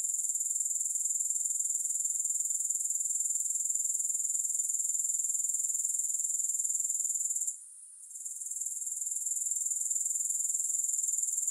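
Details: Grasshopper chorus as a constant bright, high trill with quick regular pulsing, cutting out for about half a second near eight seconds, then fading back in.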